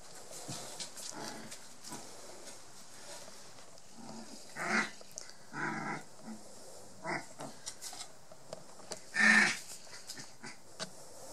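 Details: Border Collie puppies Yack and Star, 23 days old, one blue merle and one black and white, give brief scattered whimpers and squeaks, with a few louder yelping bursts toward the end over a quiet background.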